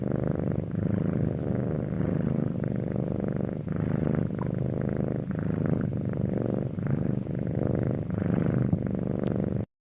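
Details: Close, steady purring from a domestic cat: low vibrating drone pulsing with inhale and exhale, a couple of small clicks midway, ending abruptly.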